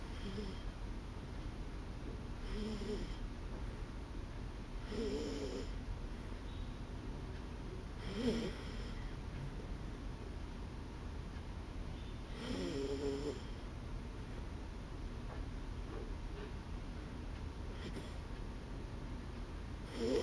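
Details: A dog asleep, snoring in clear rasping bursts about every two to four seconds, each a low rough exhale, with quiet steady background hiss between breaths.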